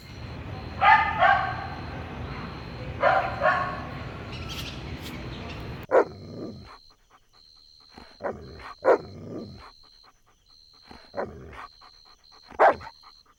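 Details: Golden Retriever puppies at play on green grass, giving bouncy barks over a noisy, rumbling background, then short yips and barks scattered irregularly across a quieter stretch, with a steady high electronic tone running through.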